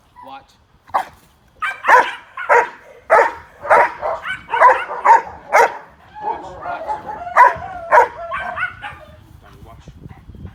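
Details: A guardian protection dog in training barks on command, triggered by sound stimulation. It gives a rapid run of loud, sharp barks with a man's voice in between. Finding: dog.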